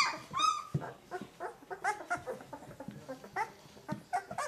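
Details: Limit's thirteen pups at two weeks old: several overlapping thin squeaks and whimpers, short quick notes tumbling over one another at a fast, irregular pace, softer than full yelps, with a low rustling background.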